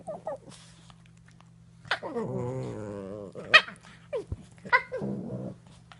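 Cavalier King Charles Spaniel puppies growling and whining in rough play, with steady indoor hum.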